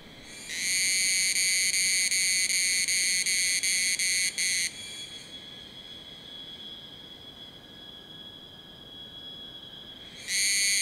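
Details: Group-calling Tanna cicadas at 1000 m in Taitung, Taiwan, recorded with a Sony A7s3 and Rode Videomic NTG. A loud, high ringing buzz with brief regular breaks stops after about four seconds, leaving a faint thin tone, then the chorus resumes abruptly.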